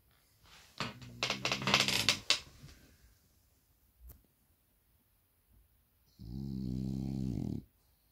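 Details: A 15-month-old male blue French Bulldog snores during a nap in rough, rattling bursts, ending with a long buzzy, droning breath.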